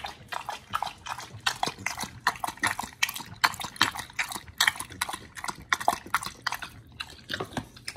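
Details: Raw meat being chewed by dogs Oli and Nomy, recorded in November 2022: steady moist crunching and tearing, sharp bite clicks roughly once per second amid continuous squelchy mastication, indoors with no voices or other sounds.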